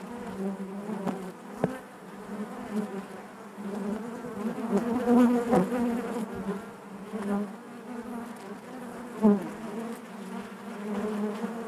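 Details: Honey bees humming in their hive, a low sustained drone with bright harmonic layers, surging in loudness midway and punctuated by a few sharp taps and individual bees flying close past.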